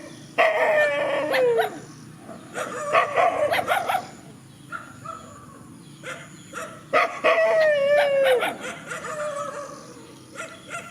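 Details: Two bouts of loud, harmonic howling from countryside dogs facing each other in a field, each a descending wail lasting over a second, broken by barks and shorter yelps between; quieter stretches of softer whines.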